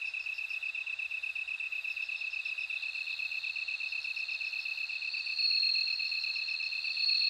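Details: Rapid, pulsing chirps from a bell cricket build into a louder, sustained ringing trill toward the end, all laid over a steady shrill drone of other insects.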